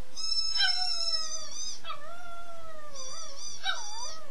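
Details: A little gray wolf gives long, sliding howls that fall in pitch, with a second voice briefly joining near the end.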